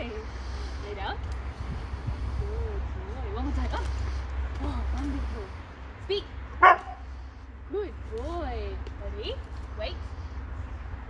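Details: Husky named Max during obedience training for treats, giving short arched whining yowls across several seconds and one sharp bark midway, with a person talking throughout.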